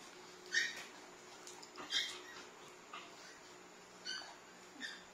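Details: Three Labrador mix siblings, small, medium and large, playing together indoors; short, high-pitched yips and whimpers about once a second, some sharp and squeaky, with quiet gaps and a faint steady background hum.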